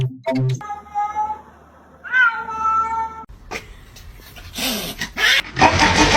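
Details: A cat gives a few drawn-out, wavering meows in the first seconds, then a higher rising-and-falling meow, with music, laughter and broadband clatter taking over the second half.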